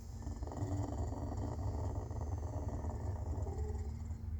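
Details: Clouded leopard purring or snoring: a steady, low, throbbing rumble with rapid fine pulses, continuous for the whole stretch with no pauses and no other sounds.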